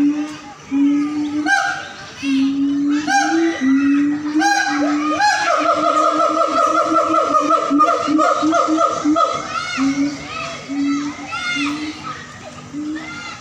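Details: Captive siamangs at a zoo in North Sumatra give a loud howling duet, resonant low hoots rising in pitch, then a fast accelerating run of bright whoops, followed by scattered barks over continued booming.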